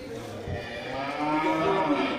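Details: At the Geurugok livestock market, 29 March 2022, where large local cattle are being sold before Ramadan, a cow gives a brief low lowing. A longer, higher moo with clear overtones follows, carrying through the background chatter.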